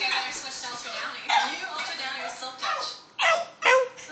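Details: Charlie, a pet dog, plays with a cardboard roll and gives two short, sharp, high yips near the end, after softer whiny sounds, while a person talks over the play.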